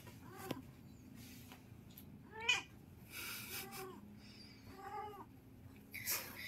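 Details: Siamese cats, more than one, noisily wrestling: a series of drawn-out, arching yowls, each rising then falling, repeated about every second or two with short quiet gaps between, plus a faint higher cry near the end.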